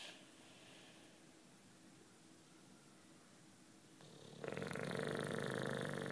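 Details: Juanito, a 9-year-old British Bulldog, sleeps with soft, quiet breathing for four seconds, then a rough, rattling snore builds and continues to the end.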